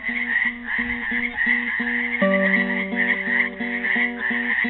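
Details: Frogs caught in a pool at Helix, Oregon, on Earth Day 2016 keep up an unbroken, pulsing trill chorus, accompanied by a classical guitar picking a rhythmic pattern of notes and chords.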